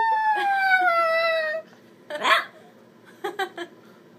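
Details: A Chihuahua puppy sitting in a chair howls in response to a noise its owner makes: a thin, drawn-out howl that slides downward, then a few short, rough yips.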